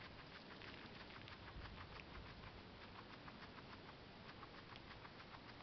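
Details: Steady crunching of a female guinea pig chewing parsley, many rapid clicks, with faint low rumbling underneath.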